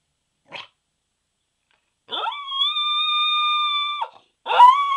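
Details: A Pembroke Welsh Corgi howls: a brief yip, then a steady, level, drawn-out tonal howl held for about two seconds with a sharp drop at the end. A second howl starts right after. No other sounds.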